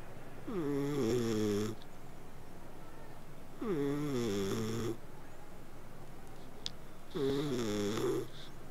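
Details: Snoring purrs from a sleeping cat: three rhythmic humming breaths, each rising slightly at onset and lasting about a second, spaced roughly three seconds apart with faint clicks between them.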